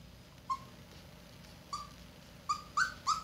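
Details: Red Standard Poodle pups two weeks old in a whelping box: five brief high squeaks spaced irregularly over three seconds, the last ones quicker and louder.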